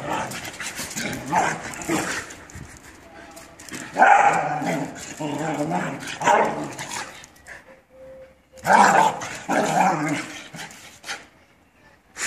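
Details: Australian Shepherd dogs fighting, with bursts of rough, low growling and snarling, some sharp yelping peaks, brief quiet gaps between bouts, and human voices mixed in.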